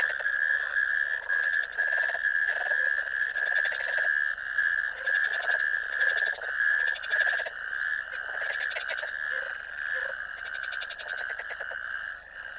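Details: Natterjack toads calling in a ditch on 1 May 2024: a loud, sustained rattling churr overlaid by many distinct pulsed trills from neighbouring toads, giving a layered, pulsing chorus that fades slightly at the end.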